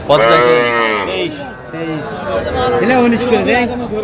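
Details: Young Sahiwal calves at the Aftabganj cattle market in Dinajpur district, Bangladesh, on Saturday, 30 March 2025. A loud, drawn-out harmonic moo rises, then falls and fades within about a second. Market chatter and voices follow.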